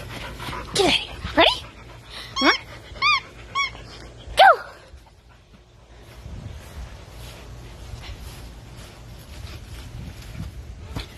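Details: Pet dog playing a fetch-style game with its owner, giving several short high arched yips and whines in quick succession over the first few seconds, then quieter panting and rustling while a person talks excitedly.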